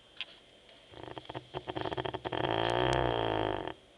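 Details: Teco, a Labrador Retriever, snoring while asleep: a run of rapid, quick breathy pulses gives way to a sustained, harmonic rasping snore lasting about a second before it stops abruptly.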